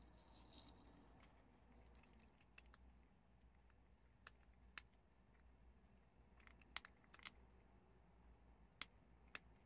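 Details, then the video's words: Several prairie dogs munching chickpeas, giving scattered crisp cracks and snaps. A faint rustle comes early, then isolated bites follow, including a quick cluster of crunches near the end, over soft steady background noise. "프레리독 병아리콩 씹는소리를"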